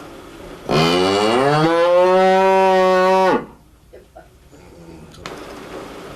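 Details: Cow mooing in one long call of about two and a half seconds, rising at the start and then holding a steady tone with many bright overtones, followed by quiet background with faint rustling.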